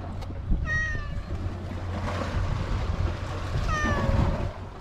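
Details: Stray cat on an island, filmed with a GoPro HERO8, meowing twice about three seconds apart. Each meow is a short, clear harmonic cry that bends slightly downward, heard over a steady low rumble of wind and engine-like noise.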